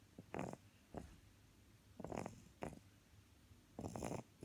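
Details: English bulldog puppy snoring: soft, rasping breaths in short bursts, roughly one every second or two, some doubled, rough and breathy in a quiet room.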